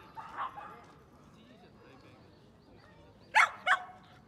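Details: Dogs at the dog run in Yoyogi Park, Tokyo: after murmured human voices, two sharp, loud barks in quick succession near the end, set against steady outdoor background noise.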